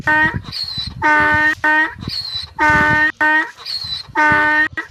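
A donkey brays in a repeated series of harsh, strongly tonal honks, alternating long and short notes.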